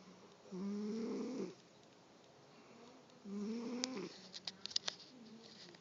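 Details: Female domestic cat snoring while awake: two drawn-out rasping snores about a second long each, roughly three seconds apart, then a softer third breath with a few faint clicks and taps in a quiet indoor space.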